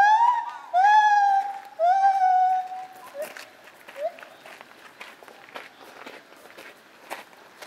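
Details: Lar gibbon (white-handed gibbon) calling at Zoo Opole, 2015: three strong, pure hooting whoops with upward-curving starts, followed by faint short notes amid rustling and background clatter.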